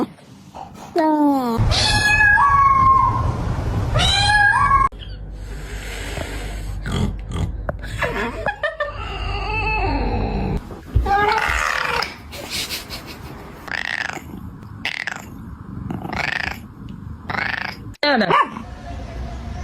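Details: Domestic cats meowing indoors. Drawn-out, wavering meows come early on. Then come human laughter, people imitating meows, talking, and scattered short noises.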